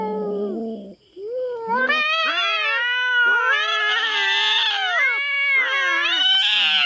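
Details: Intruding feral cat facing a black cat on a Philippine farm: a low growly moan, then a sustained, rising, strained howl with bending pitch that carries on almost unbroken for several seconds.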